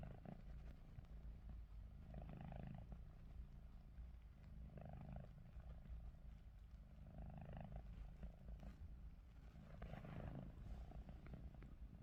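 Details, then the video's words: Pet cat Ruby snoring even with eyes open, each hoarse, rumbling breath rising and fading in a slow rhythm roughly every two and a half seconds, five breaths in all. "루비 눈 뜨고 코골이"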